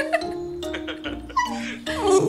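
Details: Shiba Inus cry in high, wavering whines that swoop up and down over background music: white female Yeo-woo, ears flattened, and black-and-tan male Taeng, on hearing their owner's voice by phone while the owner stays out overnight.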